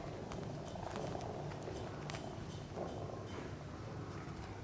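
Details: Sphynx cat mother with her kittens playing in their nest; a steady low rumbling purr runs throughout, with soft rustling and a few faint clicks and taps above it.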